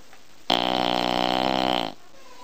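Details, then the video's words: Bulldog asleep, letting out a single loud snore that starts suddenly, holds a harsh, vibrating low rumble for about a second and a half, then cuts off into silence. "Bull dog snoring"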